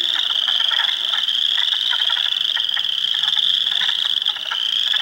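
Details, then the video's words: Swamp frogs in spring at Heartland Forest, Ontario, April 2, 2022, hundreds calling together, including Spring Peepers, Wood Frogs and Eastern Chorus Frogs: an intense high-pitched trilling wall with fast pulsed croaks running below it. "Frog Sounds HQ HD"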